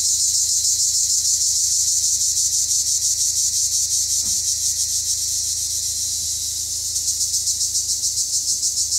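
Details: Sunny-day chorus of Cypriot black cicadas, a shrill sustained buzz with regular rapid throbbing pulses throughout, briefly smoother near the middle, plus one soft knock.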